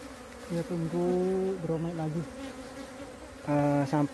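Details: Wild bees from a split colony being moved to a new home; steady low droning buzz that starts and stops in bursts, rising in loudness near the end.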